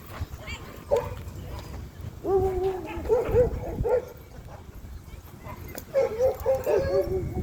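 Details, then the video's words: Cane Corso at a dog park, reacting on seeing new dogs: drawn-out, wavering high whines and yelping cries in two bouts, over steady background noise and a person's soothing voice. "cane Corso sees new dogs at dogpark"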